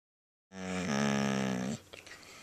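A dog gives a deep, drawn-out groaning moan that lifts in pitch and then holds steady.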